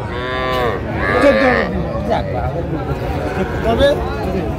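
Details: Cattle at a market in Narsingdi, Bangladesh, where farmers buy small bull and heifer calves, 7 April 2025: loud, harmonic moos rising and falling over several seconds, with background music and people bargaining.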